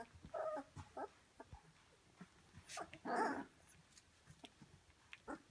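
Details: Rhodesian Ridgeback puppies, seventeen days old, in a kennel litter growing more active each day: soft, scattered whimpers and grunts, with one longer, louder whine partway through over a quiet background.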